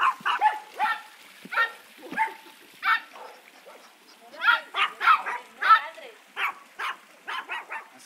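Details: Old English Sheepdog (bobtail) puppies from Litter Q, 55 days old, playing nonstop. Short high yapping barks come in quick, uneven bursts of one to three, roughly a hundred a minute, with brief pauses between them.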